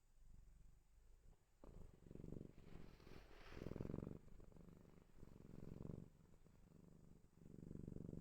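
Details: A sleeping cat snores and purrs indoors, with low, rough, rumbling purr bursts separated by short quieter breaths, a steady rhythm of inhale and exhale rumbles.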